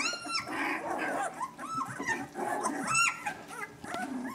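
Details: Newborn Vizsla puppies, eyes still closed, crawling about and finding their voices: a litter of overlapping high squeaky whines and yelps, many bending up and down in pitch, packed close together throughout.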